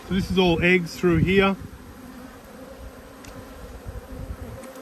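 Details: Honey bees from two hives, cross at being inspected: after a brief burst of human speech, a steady low humming drone with a faint higher overtone carries on unbroken.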